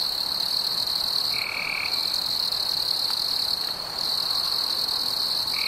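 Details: Cricket on a warm summer evening: a steady, unbroken high-pitched trill holds throughout, with a brief lower whistled tone around mid-clip and again at the end, over a faint hiss.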